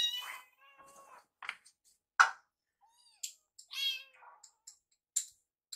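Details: Foster kittens Yuki and Piyo beg while their meal is prepared in a kitchen, excited by warmed wet food; scattered short meows mixed with clinks and clatters of dishes and utensils.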